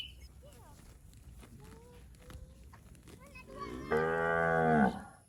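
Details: Healthy, fat village cattle from a roaming herd in a rice field: soft high whistled calls from other animals, then one loud, steady, harmonic-rich moo lasting about a second near the end.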